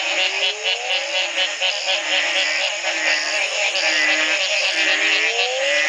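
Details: A dense frog chorus at the Community Baboon Sanctuary, Belize, in 2010: the morning after a single night of rain that ended a three-month drought, many overlapping calls, sweeping low notes beneath constant high trilling.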